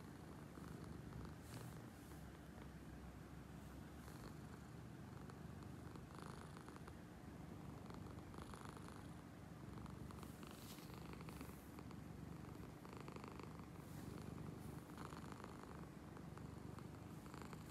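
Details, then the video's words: Awake cat named Angel producing a long, rumbling motorboat purr, perhaps a snore: an unbroken low throbbing drone with gentle rhythmic breath sounds swelling and fading. "Motorboat purr"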